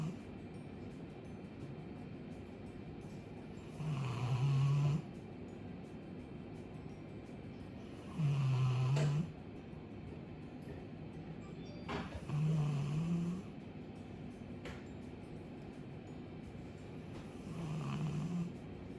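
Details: Chappy, a two-year-old female Labrador Retriever, snores loudly while asleep: four deep, low rumbling snores about every four seconds, each lasting roughly a second, with quiet breathing and faint room hum between them.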